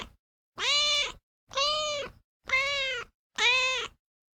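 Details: A house cat mews four times in quick succession, about one call per second. Each is an even, slightly arched tone of similar length, and the gaps between are silent.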